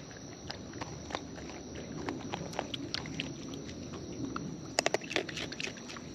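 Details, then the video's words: Wild raccoons chewing food up close, soft steady munching with scattered clicks and a quick burst of sharp crunches near five seconds, over a continuous high hum. "Wild Raccoons & ASMR Chewing Sounds"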